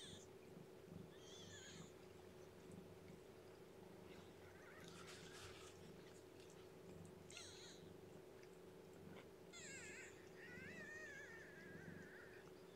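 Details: Newborn female kitten, lethargic and underweight, without littermates to burrow into, being fed and warmed indoors; several thin, high-pitched mews, some wavering and drawn out, spaced a few seconds apart over a steady low hum.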